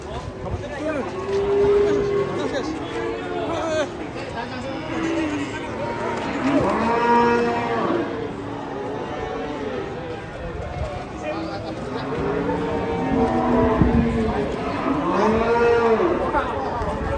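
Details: Angry cattle on the rampage, attacking local people while being unloaded from a truck; drawn-out harmonic moos rise and fall several times over a busy crowd of talking, shouting people.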